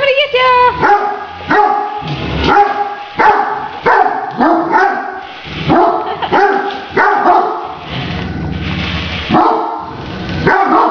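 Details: Great Danes barking excitedly at a remote-controlled toy tarantula, a rapid run of loud, mid-pitched barks fired every half second or so, some with a rising yelp at the start, broken by brief pauses.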